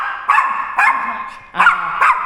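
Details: A fearful Yorkshire Terrier barks at a stranger, giving four quick, yappy, high-pitched barks in two pairs about half a second apart, over a low hum and faint voices.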